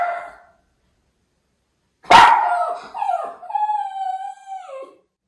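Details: Excited Miniature Schnauzer brothers, white, in Aroostook County, Maine, upset by an unfamiliar delivery driver bringing a package: one hard bark followed by a long wavering howl that steps down in pitch and fades.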